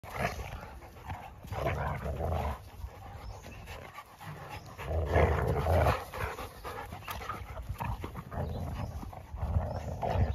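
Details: Three Labrador Retrievers playing together: rough, breathy panting and low growling bursts come in uneven clusters, with short pauses between scuffles.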